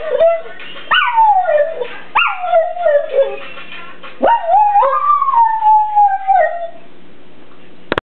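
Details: Pet kelpie howling along to a phone ringtone: loud, wavering howls that swoop sharply upward and slide down, broken by short yelping rises, ending in one long sustained wavering howl that gradually drops and fades.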